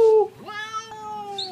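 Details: Domestic cat described as talking, giving two meows in a quiet room: a clipped bright opening note, then an upward-gliding call settling into a long, even, harmonic-rich tone that tapers slowly, with a faint high squeak at the end.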